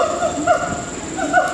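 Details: Captive gibbons at Singapore Zoo giving short hooting notes with a clear harmonic, rising then dropping, about three or four notes within under two seconds against a steady background hum.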